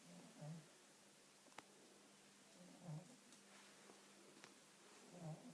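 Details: Cat asleep and snoring, three soft, low, rough breath sounds spaced about two and a half seconds apart, with a faint continuous hum and a couple of small clicks in the quiet room.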